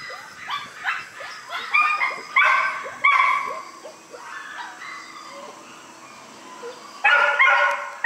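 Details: Born on September 3, newborn White Schnauzer puppies yelp and whimper loudly in uneven bursts, with a quieter lull before a final strong squeal.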